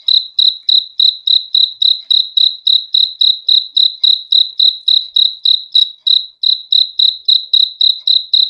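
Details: High-pitched cricket chirps in a fast, even series of nearly four per second, each a short bright pulse, sounding alone against a silent background.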